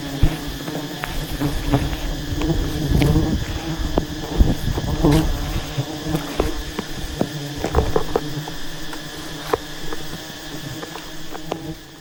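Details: Disturbed honey bees swarm around a giant wild hive during a honey harvest, a loud continuous droning buzz rising and falling in intensity, scattered with crackles and knocks from the hunters' work.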